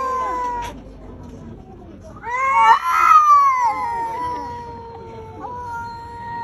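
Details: Cat wanting to fight, yowling continuously: a low droning moan rises into a louder, warbling, strained howl for about a second, then settles back into a long, steady, lower wail.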